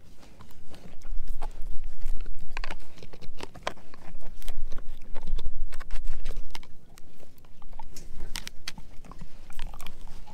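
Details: Edu, a German Shepherd mix, chews a dehydrated pig ear treat, producing dense, irregular crunching and snapping bites several times per second, with soft thumps of the jaw between louder cracks.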